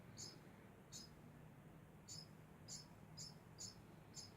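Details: A degu keeps up a steady run of bright, clipped chirps, about seven in four seconds, some doubled, against a quiet background hiss.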